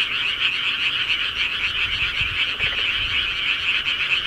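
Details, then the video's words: Countryside frogs calling at night: a dense, unbroken chorus of rapid, overlapping croaks and trills, steady in loudness throughout, with faint low rumbles beneath. "시골개구리 소리"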